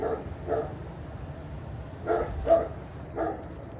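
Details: German Shepherd next door barking with nothing happening outside, heard through an open bathroom window: short, muffled barks, a pair near the start and three more later, spaced about half a second to a second apart.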